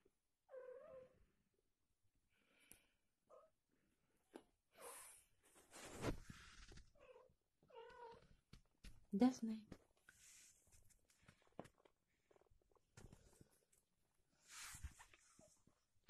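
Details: British Shorthair mother cat nursing her newborn kittens indoors: short, high, thin mews come now and then among clicks, rustling and people talking nearby.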